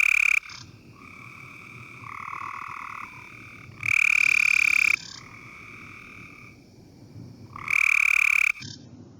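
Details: Cope's gray treefrog, one of Ohio's less common frogs, gives short, fast, harsh, clipped buzzing trills, repeated every few seconds; its trill is shorter and faster than the gray treefrog's.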